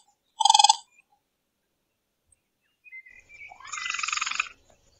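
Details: Nighttime raccoon noises that resemble twirling cotton candy. A brief fast-pulsed trill, a pause, then soft rising notes that swell into a longer harsh, quavering chitter.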